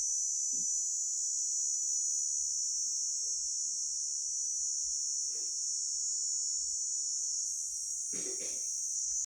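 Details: Continuous high shrill buzzing of a grasshopper carries on evenly while a few coughs and short human vocal sounds break in at intervals.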